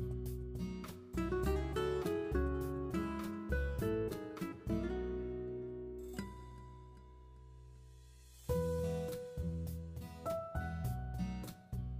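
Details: Strummed acoustic guitar music with plucked chords and a short pause near the middle; no animal sounds are heard.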